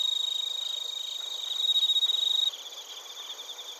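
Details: Bell crickets and crickets chirping in Narita, Chiba Prefecture, Japan, TASCAM Portacapture X8: a loud, pure ringing tone over rapid high pulses for two and a half seconds, then cutting off, leaving softer, uneven chirps.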